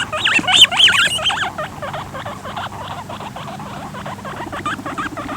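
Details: Guinea pigs (Cavia porcellus) give rapid, high squeaky squeals as a male attempts to mate with a female and it turns into a fight.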